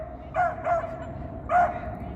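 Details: A dog in downtown Toronto on a mild April Thursday afternoon barks at a squirrel: two quick, short barks, then a third after a brief pause, over steady street hum.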